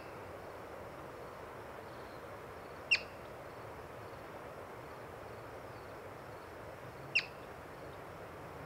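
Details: Two sharp, whistled chirps about four seconds apart from a yellow-bellied marmot seen while birding, each brief and high, against a quiet, steady outdoor hiss.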